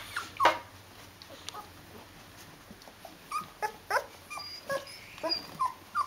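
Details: Rhodesian Ridgeback puppies, 14 days old, with their mother indoors; scattered short, thin whimpers and squeaks rise and fall at irregular intervals.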